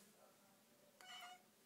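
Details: Blossom, a Somali cat, filmed on Martin Luther King Day, gives one short meow after a second of quiet room hush: a brief harmonic-rich tone lasting under half a second, slightly rising then falling, with no other sounds.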